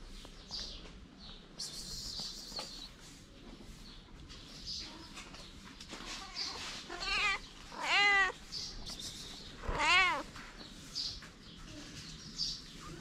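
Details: Hungry feral kittens playing beside their mother, homeless and in the cold, give three clear arched mews around the middle, each rising then falling, over a soft background hiss and faint rustling.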